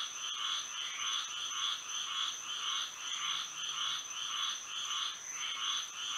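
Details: Frogs singing at night in Florida under moonlight: a dense chorus of rapid pulsed croaks in rhythmic bursts about twice a second, overlapping callers, with a steady high insect-like whine running throughout.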